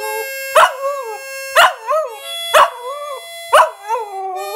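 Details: An 8-month-old Smooth Fox Terrier puppy howls in short, wavering bursts about once a second, howling along to steady harmonica notes.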